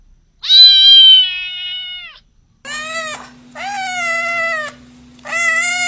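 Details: Long, level, strained cat meows, one after another with short breaks, over a steady low electrical hum in the background.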